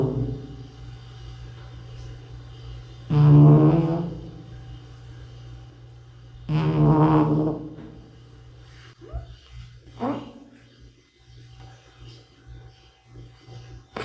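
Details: Bota, an older 'uncle' cat, snoring in its sleep: two long, rough, breathy snores a few seconds apart, with a steady low hum beneath and quieter breathing between.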